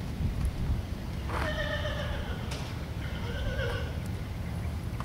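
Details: Buckskin Andalusian P.R.E. filly giving two whinnies, each about a second long, harmonic and wavering, the second shorter, over a steady low rumble.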